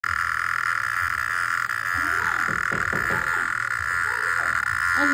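A cicada holds a continuous, shrill electric buzz that never wavers in pitch or loudness. Short bursts of human speech and a faint low hum come and go beneath it.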